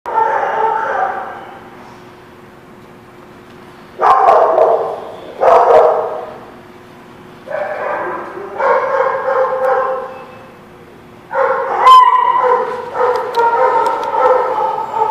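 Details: Dogs barking at The Barking Lot on 13 March 2017. Harmonic, rough barks arrive in short bursts of about a second, with gaps between them, at roughly 0, 4, 5.5, 7.5, 9, 11.5 and 13 seconds. The barks are loud against a quiet background.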